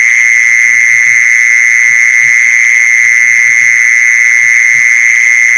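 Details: Mole cricket sound used for luring mole crickets: a continuous, even, shrill churring trill that never breaks, with a thin higher overtone above and soft low pulses beneath.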